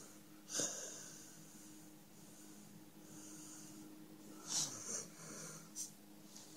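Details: Sleeping dog called Number Five snoring indoors: a wheezy, breathy snort early on, then a cluster of two or three airy snorts later, over a faint steady low hum.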